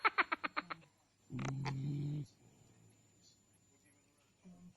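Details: A big-mouthed frog, said to be sleeping and snoring, gives a quick series of six sharp pulsed clicks, then a long low droning croak of about a second, then a short faint low call.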